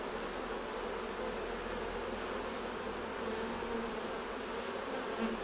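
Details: Continuous low drone of honey bees around beehives as the honey is taken off, an even buzzing hum layered in a wash of hissing noise, with no break across the five seconds.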